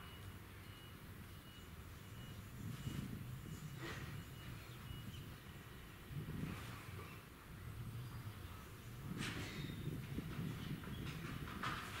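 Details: A steady low rumble of passing vehicles and outdoor background noise, with a few brief knocks and no clear animal voice.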